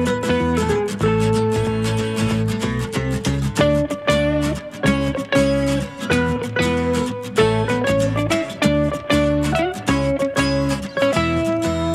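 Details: Strummed and plucked guitar music plays throughout, with a steady rhythm and no animal sounds.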